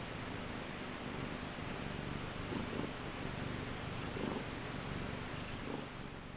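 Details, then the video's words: Niku, a pet cat, purrs steadily in a low, continuous rumble, with soft short mew-like sounds rising over the purr about three times, roughly every one and a half seconds. "Listen to his vigorous curr and funny mew!"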